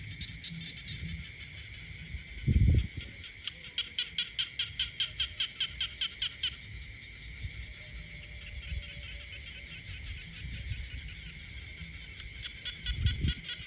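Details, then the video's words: In a quiet rural setting, a chorus of frogs keeps up a continuous high drone; a loud low knock sounds near the start, then a close frog gives about a dozen rapid pulsed croaks, and another burst follows at the end. "the peaceful countryside becomes alive with the sound of frogs croaking."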